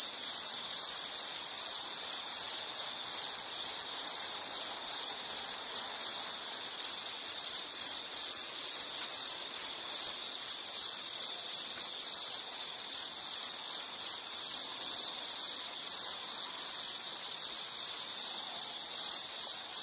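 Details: Steady shrill insect trill that keeps going with quick regular pulses, plus a faint higher tone and soft ambient hiss throughout.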